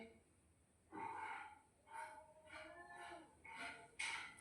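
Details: Domestic cat giving a series of short tonal meows, each with stacked harmonics, in about five bursts spaced roughly half a second to a second apart, the last ones higher and sharper, indoors with light background hiss.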